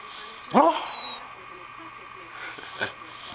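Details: Pet dog Dolly, female and asleep, gives a quick upward-sweeping yip, followed by a softer muffled sound a moment later against a quiet room hum.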